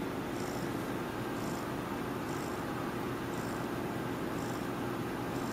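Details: Domestic cat purring while asleep: a steady low, throbbing rumble running without a break, over a constant hiss, with a faint soft tick about once a second.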